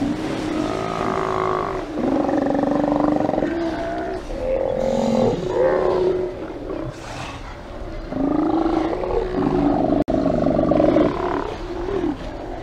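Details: A chorus of Steller sea lions at a haulout roars and growls continuously with deep overlapping bellows as the animals rouse, 24 September 2018.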